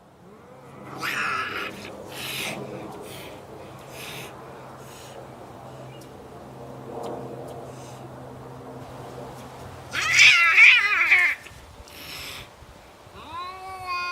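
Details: Neighbourhood cats in a standoff, giving harsh, strained wails and yowls in bursts, the loudest near the ten-second mark, with a rising whine at the end over a low steady hum.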